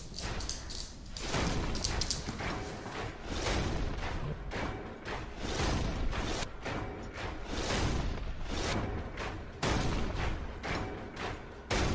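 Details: Loud music-like broadband sound with repeated thuds and whooshes throughout, and no animal calls.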